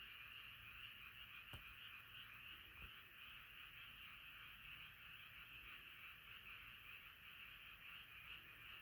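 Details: A frog choir sings at night, countless croaking voices blending into a steady trilled drone, broken only by two sharp clicks early on.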